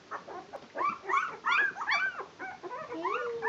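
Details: Twelve-day-old Barbet puppies just beginning to walk whine and squeal in bent, wavering high cries, several voices overlapping, with a long drawn whine near the end.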